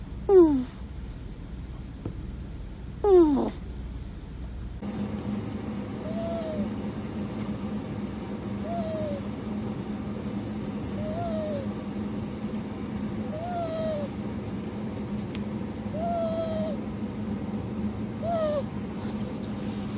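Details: A ferret gives two loud, sharp squeals that sweep downward, then a run of soft, arched whimpers repeated about every two and a half seconds over a steady low hum.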